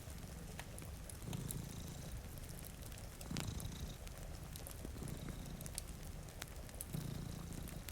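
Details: A deep, throaty purr from two cats sleeping before a rainy window, rising in breathy surges every couple of seconds, with crackling fire snaps and soft rain in the background.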